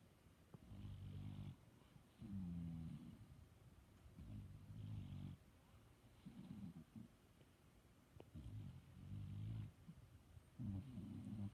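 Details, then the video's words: Pet dog asleep, snoring steadily: low, buzzy, rumbling breaths repeated about every two seconds, six snores over the stretch with brief quiet gaps and faint clicks. "My dog snoring"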